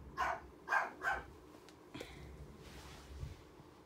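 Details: Black poodle puppy, two months old, indoors, lets out three short, high yapping barks within a second, then falls quiet apart from faint room noise.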